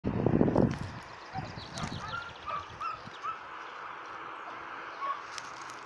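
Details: A Cretan hound puppy at its first training lessons, showing a clear wish to follow a scent trail, gives a single short, rough bark, then quiet with faint bird chirps.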